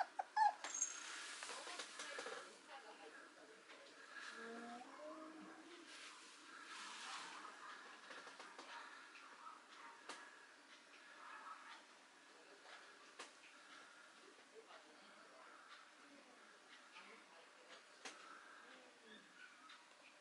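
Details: A female Mame Shiba Inu puppy gives soft, thin whimpering squeaks that rise and fall, with quiet voices nearby.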